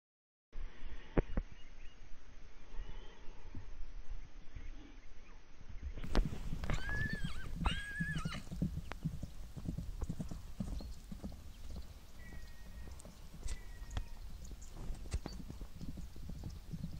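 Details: Brigitte Bardot K, a filly born March 2019 by San Amour I, recorded 26 November 2019 while letting off steam one morning: heavy thudding hoofbeats and rumbling movement, with a couple of short, bright whinnies about a third of the way in.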